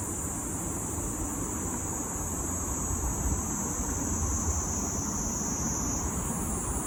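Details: Kaempfer cicada singing in Tokyo, Japan, on July 6, 2022: a steady, shrill, high-pitched drone that holds unbroken and shifts slightly near the end, over a heavy, constant low rumble like traffic.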